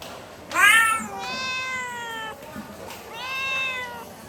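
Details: Domestic cat giving two meows in a quiet room: a short, loud, bright cry that rises then falls, then after a pause a longer, softer, drawn-out meow that slides gently downward.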